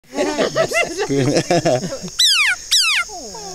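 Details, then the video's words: Bullfrog squeaking in the Cuyabeno Reserve, Ecuadorian Amazon: a run of lower, warbling harmonic notes, then two loud, high squeaks that sweep sharply downward, each about a third of a second, with a fainter falling tail at the end. "Cute Bullfrog Squeaks In The Ecuadorian Amazon"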